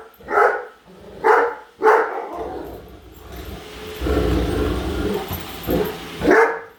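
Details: Great Dane indoors barking at a Roomba robot vacuum she dislikes; three barks, then a stretch of whirring household noise from the moving vacuum, then a final bark.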